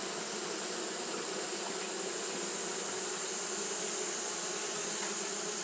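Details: On a hot day, Japanese honey bees keep up their fanning behaviour: a dense, even drone of wingbeats that barely changes, set against a bright, continuous high hiss.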